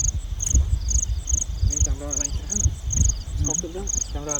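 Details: Field crickets at night in the countryside, while people search for and catch them; short high-pitched chirps repeat steadily about twice per second, with people talking nearby and low rumbling noise underneath.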